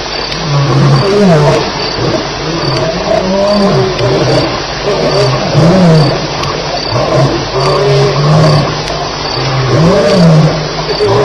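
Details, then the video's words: Night fight between lions at Elephant Plains, recorded July 9, 2010 in the early morning hours. Low, harsh snarls and growls surge and waver in repeated bursts. A constant pulsing insect chirp continues in the background. "Lions Fighting - Sounds"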